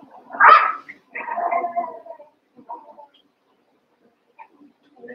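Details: Playing Cavalier King Charles Spaniel puppies, eight in all after Daisy's six litter joins Robin's two; one loud sharp yelp, then a wavering whine and a few soft squeaks, trailing into near quiet.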